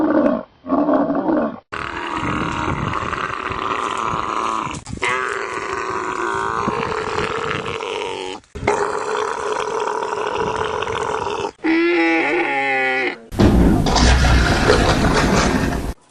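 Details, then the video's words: Series of separate camel outbursts, gurgling roars and throaty growls with harsh broadband noise and short tonal bursts, broken by brief silences between cuts. "Funny camels yelling, screaming, roaring, growling and making other weird sounds. Верблюды"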